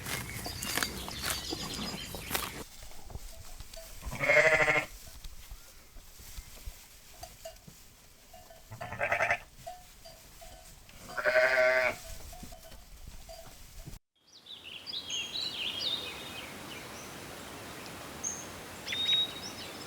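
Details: Lambs out grazing in a green forest bleat three times, spaced several seconds apart, each call short and quavering; the scene then cuts to quieter woodland with chirping birds.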